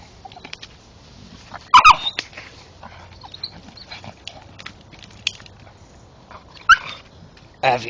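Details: Male Staffordshire Bull Terrier chewing a tree stump outdoors in the dark, giving two short, squeaky, strained whine-like cries with bright harmonics between faint chewing and scraping noises, while a man talks and urges it on.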